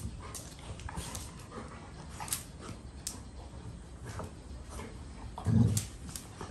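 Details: Two Golden Retrievers in excessive rough play, scuffling with low rumbling growls, panting and paw thumps, a louder grunting burst near the end.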